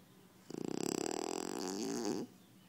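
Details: A French Bulldog gives one long snore lasting under two seconds, beginning as a rapid pulsing rattle and smoothing into a steady buzzy, wheezy drone before stopping abruptly.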